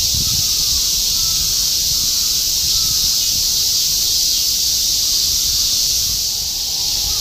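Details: Continuous summer chorus of cicadas in Shinjuku, Tokyo, 2016: a dense, unbroken hiss-like shrill filling the high range, steady in loudness throughout with faint low traffic rumble beneath.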